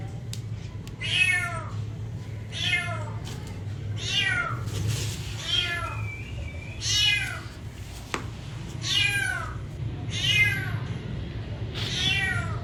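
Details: A cat gives a run of about eight similar meows, each a rising-then-falling tonal wail about a second and a half apart, with a constant low background rumble.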